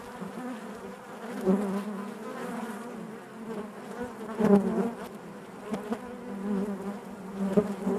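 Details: Honey bees humming inside the hive with a continuous deep drone and rich overtones, a few sudden louder buzzes and ticks standing out every couple of seconds.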